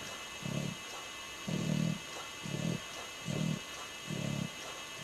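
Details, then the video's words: English Bulldog snoring while asleep, lips flapping; deep rumbling snores repeat about every 0.9 seconds in even bursts, with a faint steady hum in the room. "Snoring Bulldog"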